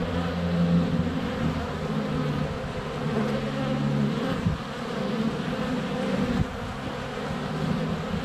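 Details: Honey bees at the hive entrance on a sunny February day, GoPro Hero 7 Black less than a foot away; constant low buzz with wavering pitches from bees flying past, briefly dipping then swelling again.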